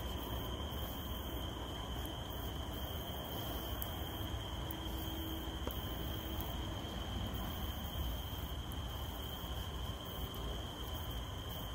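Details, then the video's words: A continuous, level, high whine from a cicada runs without pause through a rain shower. Heavy raindrop hiss and patter fill the lower range beneath it. "RAINDROPS/ CICADA SOUNDS"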